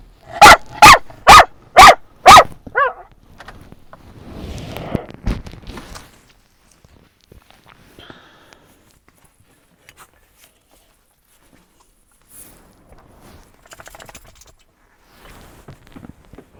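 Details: Dog at a San Diego dog park at sunset, barking at other dogs in a friendly way: five sharp, loud barks in quick succession over two seconds, a short yelp, then quiet rustling and faint background sounds.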